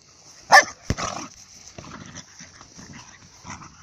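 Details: Xéna, an excited female dog in a meadow on 17 February 2018, barks to urge her owner to throw her ball: one sharp loud bark, then a second shorter bark, followed by quieter rustling and faint background sounds.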